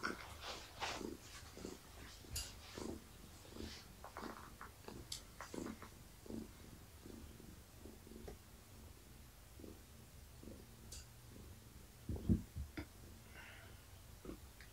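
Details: Pregnant long-haired tabby cat named Gaia purring while petted during an evening check, with kitten movement felt in her belly; quiet continuous low rumble beneath scattered rustles and one louder knock.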